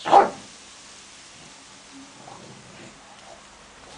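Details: English bulldog facing a tiger gives a single sharp bark at the start, followed by near quiet with only faint background rustle.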